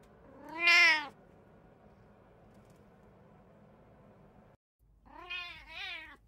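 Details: Indoor house cat from a home of three cats (brown tabby, Abyssinian, short-legged Munchkin), June 16, 2024: one loud, wavering meow, a quiet pause, then a softer two-part meow rising and falling.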